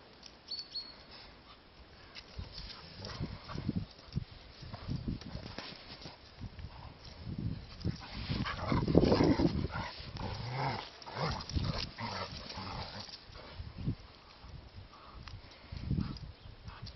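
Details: Gordon Setter, a hunting dog, playing with a toy: rough, low grumbling growls that swell to a louder burst midway, then ease off, mixed with scuffling and chewing noises.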